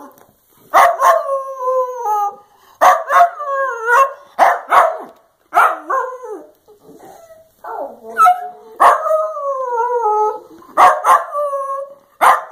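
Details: Dachshund making its 'love you' vocalizations: drawn-out, wavering, howl-like moans with bending pitch, given in bursts of roughly one to two seconds separated by short pauses. A person speaks softly nearby.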